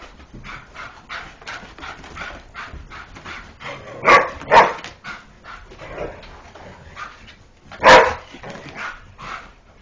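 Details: Indoor chasing play between a greyhound and a springer spaniel around a couch; soft, rapid yips and scuffling run through, broken by three louder barks, a pair near the middle and one later.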